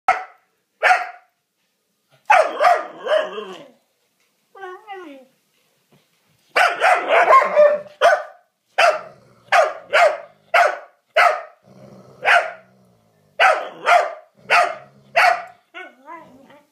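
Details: Rhodesian Ridgeback barking while its patience is tested by another dog, Ellie pushing her luck with Jasper; short sharp barks in bursts, some rapid runs of several barks spaced about half a second apart, with brief low growls between.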